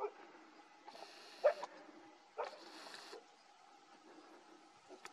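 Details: Italian wolf, likely the pup's mother or an aunt, giving a bark-like call behind the recordist during a chance late-morning encounter with a wolf pup on a park trail; two short, sharp barks about a second apart, faint hiss around.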